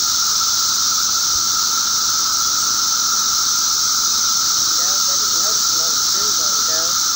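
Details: Periodical cicadas of eastern North America during a mass emergence on May 19, 2011; a dense, continuous high hissing chorus with a steady droning band beneath, and faint squeaky sounds near the end.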